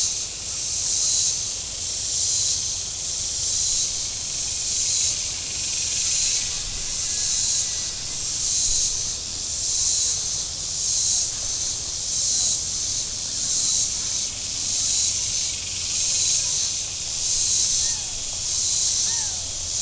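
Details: Cicadas calling from the shore of Table Rock Lake in southern Missouri on a very warm Saturday: a steady, hissing, high buzz that swells and fades in regular pulses, roughly one every 1.25 seconds, over a faint low rumble.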